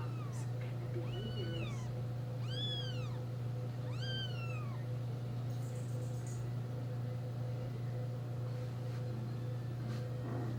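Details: Four-day-old newborn kittens of a litter pushing and pawing each other while competing for their mother; three or four clear, high, arched mews in the first five seconds, then quiet, over a constant low electrical hum.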